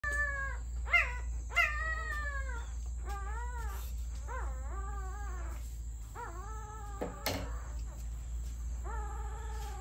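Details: Puppies crying: a series of short, high, arching whimpers and yelps, each bending up then down, repeated irregularly about every second, over a steady low hum and faint high whine.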